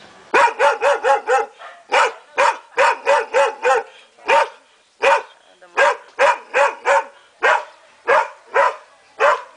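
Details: Belgian Shepherd puppy barking in quick high yaps, bursts of four or five followed by pauses, then steadier single barks spaced roughly half a second apart.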